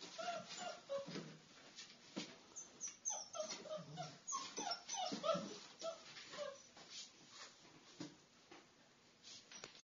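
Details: Irish Wolfhound puppies, including a female pup, making rapid high whimpers and short yips in an irregular, overlapping stream, busiest in the middle of the recording and fading toward the end.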